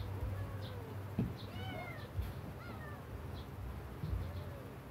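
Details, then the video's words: A very sick kitten gives several thin, arching meows, some rising then falling, spread through the few seconds over a steady low hum and occasional thumps. "my kitten very sick"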